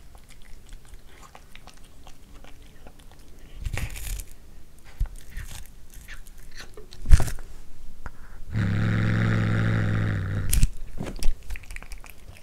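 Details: Anzu, a one-year-old female tortoiseshell Munchkin, gnaws cooked corn with sporadic crunching and chewing. She then breaks into a low, sustained growl of nearly two seconds, followed by further bites.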